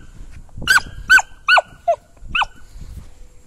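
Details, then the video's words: Sydney, a female Samoyed, going crazy with excitement after grooming: a series of short, sharp, high-pitched yelping barks with strong harmonics, five bursts about every half second, with a faint tonal hum in the background. "Sydney the samoyed goes crazy after grooming!"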